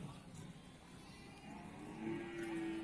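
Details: At the Bumiayu cattle market in Indonesia, busy market noise and low rumble give way near the end to a short, low, even moo from cattle.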